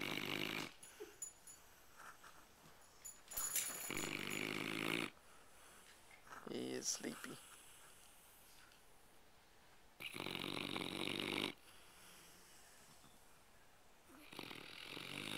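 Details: Sleeping, tired pet dog snoring loudly: long harsh rasping breaths lasting one to two seconds, separated by quieter pauses, with a person talking about it.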